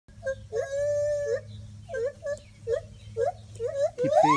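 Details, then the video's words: Gibbons calling loudly from the trees at a monkey rescue island, recorded on a cell phone: one long sustained hoot, then a run of short upswept whoops about every half second, ending in a rising, climbing cry. "Gibbon Ape calls"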